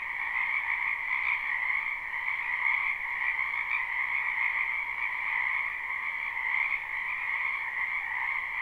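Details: Frogs croaking in a wetland in spring, recorded live at night behind a house: a dense, continuous chorus of overlapping trills forming a steady two-toned drone, mid and higher pitched, with no gaps or other sounds.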